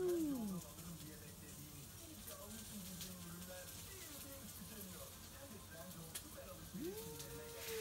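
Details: Two stray cats duet at midnight, warning each other off a backyard. A falling yowl opens, low wavering moans follow, and a rising, sustained yowl closes, with faint hiss and rustle behind.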